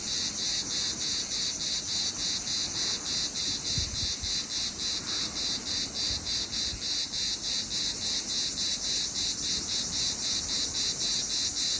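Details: Cicada heard in summer, a loud steady high hiss pulsing in even beats about three to four times a second throughout, with a few faint low thumps near the middle.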